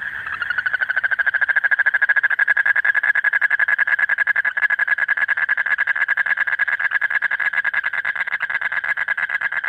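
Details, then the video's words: Late-night calling of a breeding-season male Asian common toad summoning a mate: one unbroken, fast, rattling trill of evenly spaced pulses, steady in pitch, starting softly then holding loud throughout. "Frog Sounds || কুনোব্যাঙের ডাকাডাকি যখন রাত গভীর"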